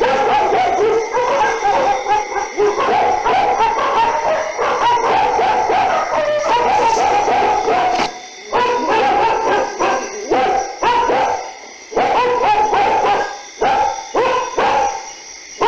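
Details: A pack of dogs barking together at night, continuous overlapping harsh barks and yelps, thinning toward the end into bursts broken by short gaps.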